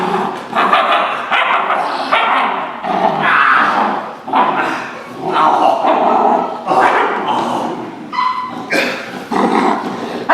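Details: A young dog growls during protection-dog bite training, likely while biting a sleeve or suit as a sign of fight drive, in harsh, raspy, uneven bursts, some rising into a higher whine, with a man's voice talking over parts of it.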